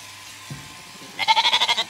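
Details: Zwartbles lamb, one of a ewe's surprise late lambs, on a regenerative farm in County Kilkenny, Ireland, after the mother was shorn; a short high bleat with a quick wavering tremble near the end, following a quiet stretch with a faint thump.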